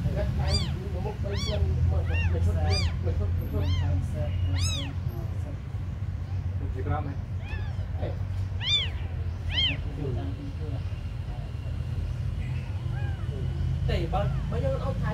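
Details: Abandoned kittens give short arched meows in bursts, several overlapping, over steady low rumbling background noise, then quieter calls toward the end.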